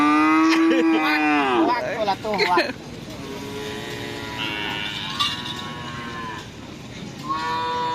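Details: Loud, close moo from Madura racing cattle at bull-racing practice on the busy Asemanis field, Pamekasan. The call rises and then breaks off, followed by a babble of shouting crowd, engines and faint music.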